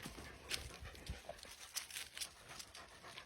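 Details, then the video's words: Playing puppies breathing in quick, noisy pants, broken by short scratchy bursts and scuffles spaced unevenly across a few seconds. "Puppies playing"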